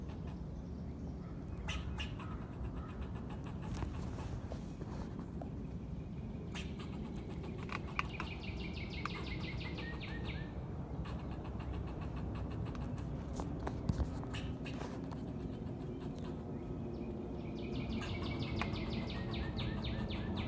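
A squirrel calls in bursts of quick, rattling chatter, each a fast train of sharp notes lasting a couple of seconds. Scattered clicks and a steady low background rumble run underneath.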